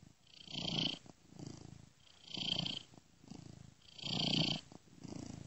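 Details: Gentle purring of one domestic cat, looped, with a software ear-to-ear effect; low throbbing rumble comes in alternating strong and weaker breaths, the stronger ones carrying a breathy hiss.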